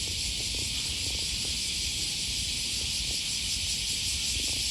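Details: Summer morning cicadas in Osaka, Japan, along the Okawa River in early August 2020, producing a constant sizzling high-pitched drone over muffled steps and background city rumble.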